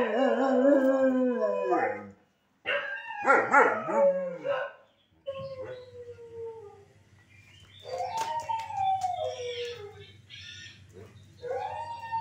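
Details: Pet dog howling in answer to other dogs: loud, strained howls with rough, warbling breaks at first, then quieter, short, rising-and-falling howls over a steady low hum.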